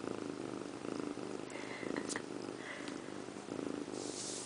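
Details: Indiana Piano Rabbit, a pet female cat, purring while sitting in a bathroom sink and grooming herself; a steady low rhythmic purr pulses roughly once per second, with a few faint clicks and rustles indoors.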